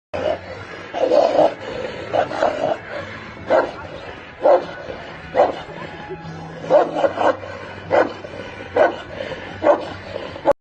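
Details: Tibetan mastiff barking: loud, gruff barks repeated at irregular intervals of roughly one second, some coming in quick pairs, around a dozen in all, with quieter background noise between them.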